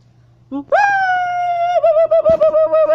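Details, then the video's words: Siamang gibbon hanging and swinging on a wire while howling: a brief low boom, then a long loud steady tonal howl that breaks into quick pulsing whoops. "Siamang Ape Is Hanging And Swinging While Howling"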